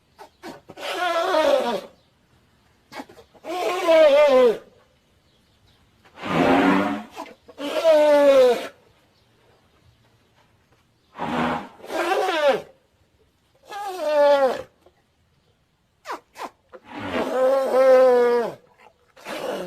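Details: Elephant calls: eight short, loud, brassy bursts, each about a second long, with wavering harmonic tones and gaps of silence between them. No other clear sounds.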